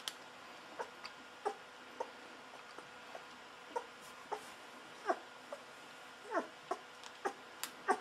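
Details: Newborn Golden Retriever pups, aged 11 to 13 days, squeaking: brief thin yelps and whimpers, some rising then falling, scattered irregularly through the clip over a faint hiss.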